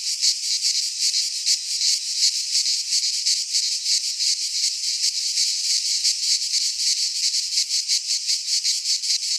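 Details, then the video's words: Midsummer cicada song from Greek pine woods: a high, rasping wall of sound swelling and dipping in quick beats about three times a second, with no birds or people heard. "Cicadas singing in midsummer"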